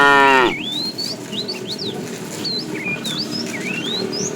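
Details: Herded tame fat cow calling a female in the afternoon; the tail of a moo falls away in the first half second, then only many birds chirp and whistle.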